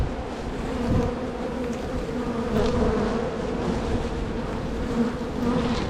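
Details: Spring honey bees buzzing in a hive full of bees, opened so the colony can be divided and relocated. An unbroken humming drone with a gently swelling loudness and a low steady pitch plus a higher overtone.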